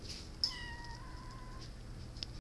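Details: Small cat giving a single steady, flat, level-pitched mew lasting about a second, soft against a quiet indoor background, with a brief click at the start.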